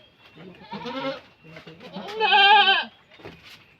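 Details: Goat giving birth gives a drawn-out, quavering nasal bleat rising from softer groaning calls, with a person's voice close by.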